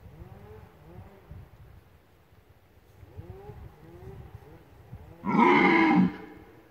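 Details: Red deer roaring during the rut at Nadleśnictwo Lądek Zdrój: a run of deep, arching groans rising and falling, then a sudden loud, harsh bellow near the end, with light clicks in the background.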